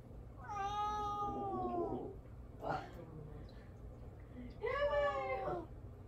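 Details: Pet cat Mamedaifuku calls to be noticed by someone who won't turn around: a long, wavering meow of nearly two seconds, a brief thump, then a shorter arched meow in a quiet room.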